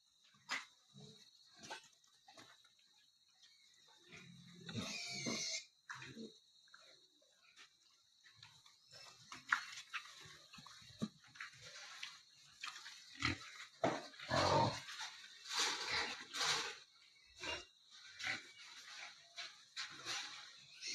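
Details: Wild boar being collected and put back in a cage, grunting and squealing in harsh, broken bursts amid clattering and handling noises.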